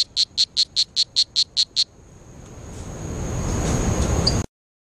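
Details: Strawberry poison dart frog (Oophaga pumilio) calling in Costa Rica, giving a quick series of high, buzzy chirps at about five per second.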